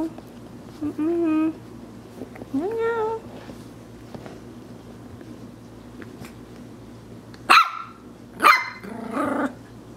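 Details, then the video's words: A Maltese puppy playing in Plainfield/Naperville, Illinois, in April 2014, first makes two drawn-out, tonal whining yips, then after a pause fires two loud, harsh barks a second apart and a rougher growly bark. A person talks quietly nearby. "Cute Maltese puppy dog barking and playing"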